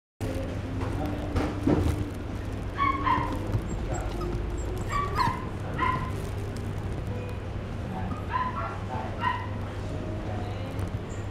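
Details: Cream-coloured female Toy Poodle puppy, born 10 March 2018, at a pet shop, giving short high yapping barks in small bursts about every one to three seconds over a steady low hum and indoor background noise.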